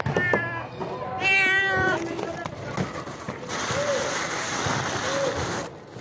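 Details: Stray cats meowing: a harmonic, wavering meow around 0.3 s and a brighter, higher meow near 1.3 s, then quieter background noise with faint short tones.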